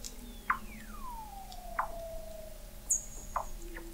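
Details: Weddell seals beneath the sea ice of McMurdo Sound, Antarctica, recorded November 2017 at the McMurdo Oceanographic Observatory 21 m under the ice: short sharp chirps about every 1.4 seconds, one long whistle gliding smoothly downward, and a thin high tone.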